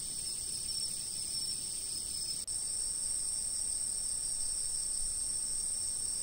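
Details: Insects calling before a stationary camera: a dense, steady high-pitched trill with several layered ringing tones, continuous and unvarying apart from a momentary dropout, over soft low background noise.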